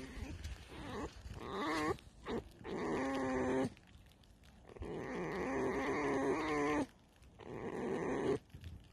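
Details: Tame fox in the evening, its attention on something beyond a fence, repeating long, creaky, vibrating whines in several bouts of one to two seconds each, with short gaps and light rustling between them.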